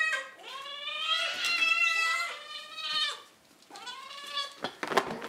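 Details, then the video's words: Cats screaming for their dinner: long, loud, harmonic meows that rise and then fall, three drawn-out cries in about five seconds, followed by clattering noises. "Crazy cats fighting and then screaming for their dinner"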